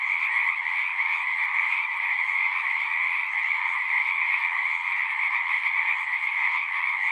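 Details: Frogs at a pond within a horse pasture, recorded using a Zoom device, keep up a thick, pulsing chorus of rapid high trills over a lower buzzing band, steady and unbroken across the whole stretch.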